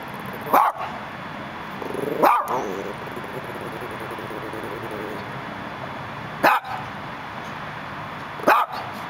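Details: A Dachshund at a Los Angeles gate barks four times, each bark short and punchy with long pauses between, set against a steady wash of city sound.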